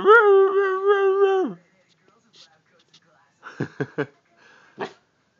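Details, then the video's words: Female Siberian Husky talking with her owner: a steady, harmonic, howl-like moan about one and a half seconds long with slight wavering. Quieter taps and a short human voice follow. "Talking With My Siberian Husky"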